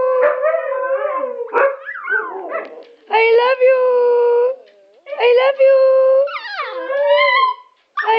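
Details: Several pet huskies kept together with a Chihuahua, vocalizing as a group: wavering, tonal howls and yodel-like talking, rising and falling in pitch, in bursts of one to two seconds separated by short pauses.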